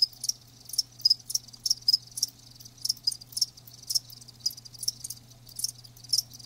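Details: Live crickets giving clear high chirps spaced about a third to half a second apart, each a short ringing pulse, over a faint constant low hum.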